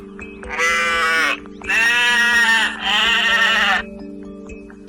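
Three long, wavering sheep-like bleats, each about a second, given in quick succession over a steady background of soft music.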